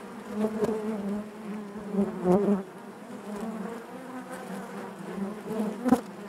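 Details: Honey bees in their hive make a thick, steady buzz, with several close individual bees flaring louder at intervals above the constant colony drone.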